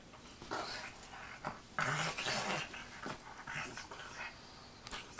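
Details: English bulldog named Wilbur playing on a bed indoors; scattered snorty, growly bursts and brief whimpers over about five seconds, the loudest burst near the two-second mark, with no clear human speech.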